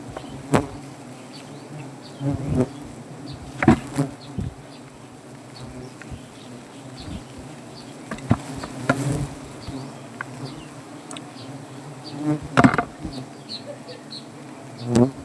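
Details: Swarm of native honey bees buzzing at a wild hive on a banyan tree in Gazipur, Bangladesh, during honey harvesting; steady low droning hum throughout, with scattered clicks and knocks from cutting comb.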